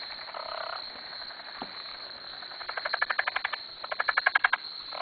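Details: Frogs surrounding a dock at a farm at 2am: fast pulsed trains of rattling croaks, about four per second, rising in bursts, with other frogs calling at lower pitch in the background.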